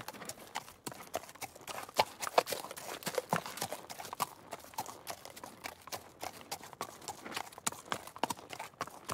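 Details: Hooves of a trotting horse ring out in a loud, dense series of sharp clip-clop strikes, rapid and slightly uneven, sustained throughout with a few brief pauses.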